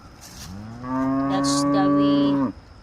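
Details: Healthy farm cow calling to companions it has been separated from: one long, steady, deep moo with rich harmonics lasting nearly two seconds, ending abruptly; a faint hiss and brief higher noise before it.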